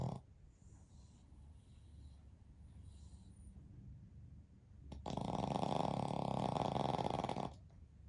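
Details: Deeply asleep during a daytime nap, a flat-nosed Pekingese x Shih Tzu mix, one of a family of three dogs, breathes softly, then releases a long, loud, vibrating snore of about two and a half seconds.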